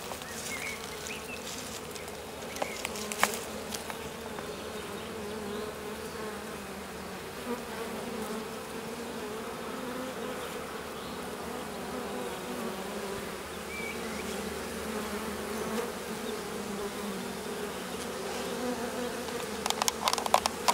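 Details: A honey bee swarm settled in a hedge: a dense, steady, droning hum with a low, even tone that holds throughout. Occasional sharp clicks and ticks sound near the start and end.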